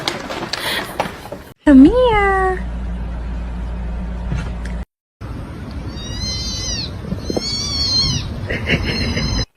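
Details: Domestic cat letting out one loud meow that dips and then rises before trailing off, followed after a pause by a series of faint high tones over a steady background hum.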